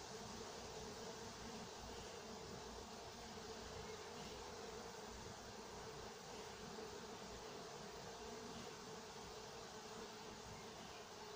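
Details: Honey bees working at an apiary in Nowa Aleksandria, summer 2021: a steady, dense hum of many bees with a mid-pitched drone band running unbroken throughout, plus faint broadband hiss.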